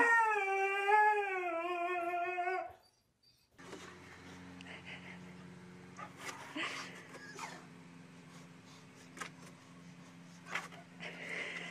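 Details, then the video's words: Pet dog howling in a smooth, slightly wavy tone for under three seconds, then quiet room noise with faint clicks and murmurs. "DOG BARKING SOUND"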